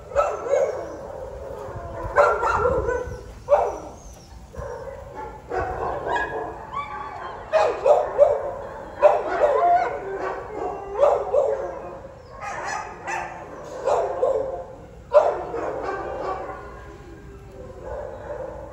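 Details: Guzman, an Alaskan Husky available for adoption, recorded 28 May 2023 in the afternoon, gives repeated yelping barks and rising whiny howls in irregular bursts, several per second at times, with quiet pauses between.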